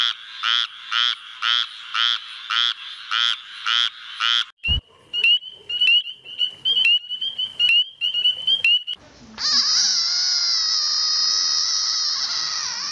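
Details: Frogs calling in their natural habitat: a run of rapid, evenly pulsed croaks repeated about twice a second, then sharper clicking notes, ending in a steady high-pitched droning tone.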